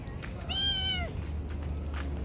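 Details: A domestic cat, a thin one of three littermates that eats from a trash bin, shelters under a rambutan tree and gives a single clear meow that rises slightly, holds, then falls away.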